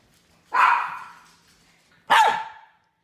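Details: Two drawn-out, slightly hoarse barks from a poodle, about one and a half seconds apart, the second ending in a falling whine-like tail.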